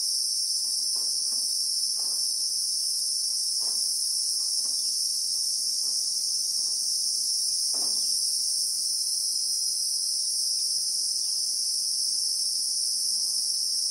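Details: South African bushveld Christmas beetle: a relentless high-pitched ringing drone with a slight wavering near the end, accompanied by sparse soft taps and one brief louder knock.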